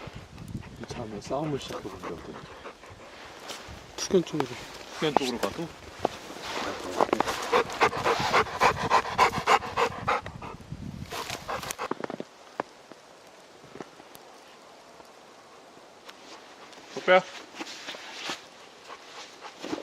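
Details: Labrador Retriever Deokbae pants on a mountain hike caught in an unexpected late-March snowstorm in Gangwon Province. Human voices come first, then fast, rhythmic, harsh breaths at about three or four a second, fading to quiet near the end.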